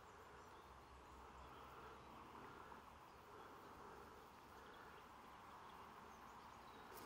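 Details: A mass of bees drones steadily on 28 September 2023, the buzzing hum rising and falling gently in strength, over quiet low rumbling background noise.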